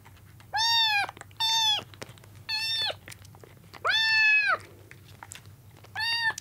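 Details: Kittens rescued soaking wet from a road, on their second day indoors, fight over milk with loud, clear, rising-then-level meows, five calls spaced roughly one second apart, with faint feeding noises between them.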